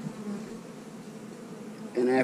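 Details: Honey bee colony buzzing softly as frames are lifted during an inspection for the queen. The hum is low and continuous, and a man starts talking in the final moments.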